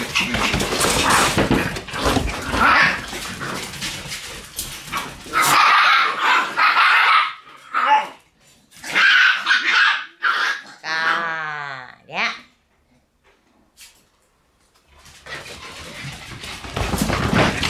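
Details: Indoor puppy room with Shiba Inu puppies on October 6: dense, overlapping high yaps and barks, then a rising-and-falling whine near twelve seconds, a brief silence, and renewed scrabbling and yapping at the end.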